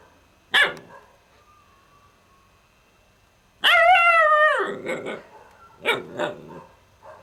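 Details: A sharp single bark from Kane, a young Alaskan Malamute, then a drawn-out, strongly harmonic whining howl lasting about a second that slides slightly downward, followed by two shorter yappy barks.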